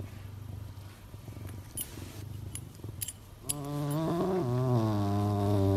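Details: Playful male serval kept as a pet, with low rhythmic purr-like pulses for about three seconds, then a loud, sustained voiced call with rich harmonics that wavers slightly in pitch until the end.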